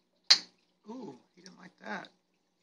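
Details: A tiger pistol shrimp in a home reef tank at feeding time fires one sharp, loud pop from its claw when a diamond goby comes too close, a sign it is unhappy; a man then talks.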